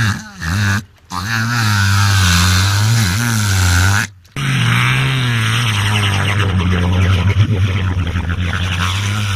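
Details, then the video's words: Engine-like droning from Luna, a sociable wild killer whale mimicking boat motors heard underwater while trying to greet people: a long, low, buzzing hum with a wavering pitch, interrupted by two short breaks. "La vidéo d'une orque {Luna} qui imite à la perfection le bruit d'un moteur de bateau !!"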